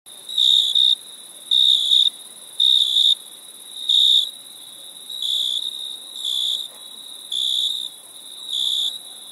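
A cricket gives high, pure chirps in short bursts, repeated about once a second.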